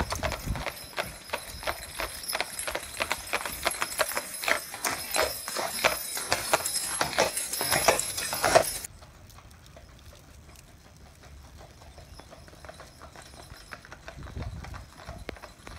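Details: Pair of Clydesdale horses driven in harness by their owner, visiting from Scotland; loud, fairly regular clip-clop hoofbeats for the first nine seconds, then softer, more distant footfalls.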